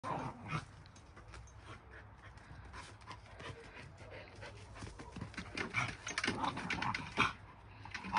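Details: Shiba Inu and a mixed-breed dog play-fighting, panting and scuffling with short growls and yelping bursts growing louder toward the end.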